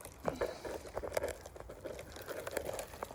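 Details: Soft indoor pattering and bubbling noises with faint background hum, and no animal calls.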